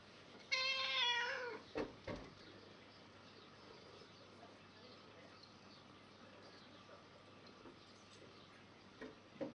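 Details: Angry cat letting out a single harsh, falling meow near the start, followed by a couple of short soft sounds and then mostly steady wind noise.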